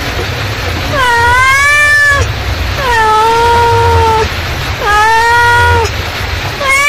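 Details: Mother cat calling her kittens with three drawn-out meows, each about a second long, starting high, dipping, then levelling off, spaced roughly two seconds apart over a steady low rumbling hum.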